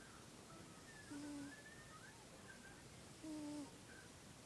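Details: Buddy, a pet cat, snoring while asleep in a dark room: two soft, short whistling snores about two seconds apart, each a steady low tone, over a quiet hiss.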